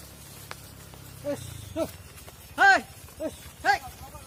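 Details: Cattle on a farm, mother cows entering the barn while their calves stay outside: a handful of short, arched, tonal calls rise and fall, spaced irregularly over a few seconds after a low background hum.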